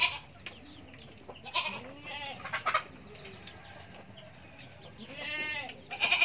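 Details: Goat kid giving short wavering bleats mixed with soft clucking and other farmyard chatter, the cries rising and falling in quick succession.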